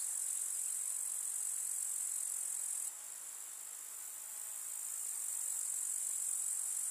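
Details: A summer meadow full of grasshoppers in the countryside gives a continuous, very high, hissing chirr with no pauses, dropping suddenly in loudness just before three seconds and then slowly swelling back.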